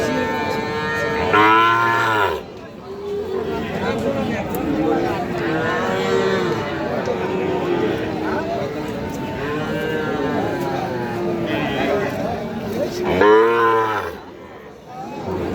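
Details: Sahiwal bull calves at Aftabganj cattle market, being bought on 6 August 2025 for a Jessore farmer: two loud, deep, drawn-out harmonic moos near the start and near the end, with steady crowd chatter and men's voices between them.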